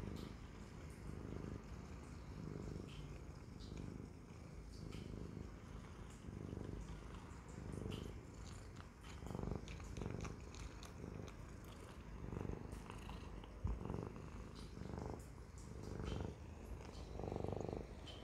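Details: Siamese cat purring steadily indoors, a low rumbling throb that swells and fades in even cycles about every second and a half, with faint soft ticks above it.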